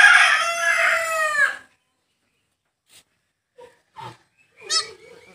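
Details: Newborn goat kid on a goat farm, being saved after birth: one loud, long, wavering high bleat lasting about a second and a half, then quiet with a few faint soft noises.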